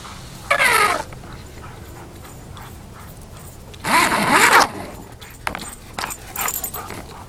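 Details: Rhodesian Ridgebacks chasing a plastic grocery bag on a backyard lure course give two loud, harmonic whining yelps, one early and one midway, with quiet between and fainter scuffling sounds afterward.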